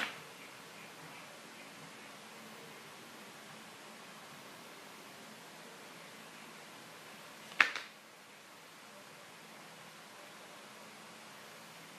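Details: Quiet indoor room hiss broken by a single sharp click near the middle, with no animal voice.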